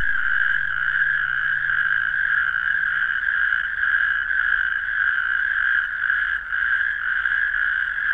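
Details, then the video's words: Chorus of natterjack toads, which call loudly at night mainly in April, May and June: a steady, unbroken rattling trill with a clear upper overtone, overlapping voices, and a low faint hum beneath. "Kreuzkröte Ruf | Stimme Kreuzkröten rufend"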